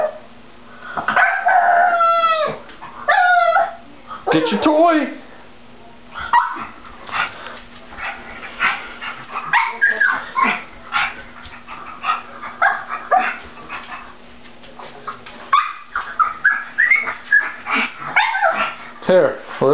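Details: A frightened male pug whines before crossing a slippery, freshly cleaned bathroom floor to fetch his toy: long wavering whines early, then shorter broken whimpers, mixed with a person's coaxing voice and a steady low hum.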